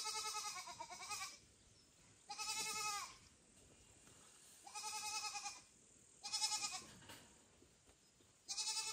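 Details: A kitten calling loudly for its mother, Kira, with foster kitten Ginny and kitten Leo close by: insistent harmonic cries repeated about every two seconds, each slightly falling at the end, over a quiet indoor background.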